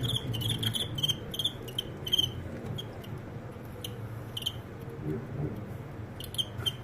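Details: Crickets in a fight that ends in a comeback win. Piercing chirps sound in short, uneven bursts over a quiet room background, with faint murmuring.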